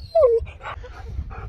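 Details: Husky being told it can't have any treats lets out a loud, clear whine that slides downward, followed by quieter breathy murmurs while a woman talks nearby.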